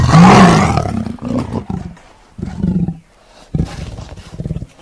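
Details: A tiger gives one loud, harsh opening roar, then a series of shorter, lower, pulsing rumbles that fade between bursts.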